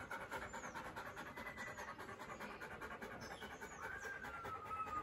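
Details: Doberman panting after a run, quick breathy rhythmic pants a little over twice per second, less even than before, with faint high whistled bird notes in the background.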